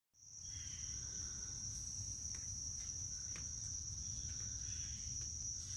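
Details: Cricket giving a steady, unbroken high-pitched ringing trill that holds one tone throughout, over a low rumbling background hum.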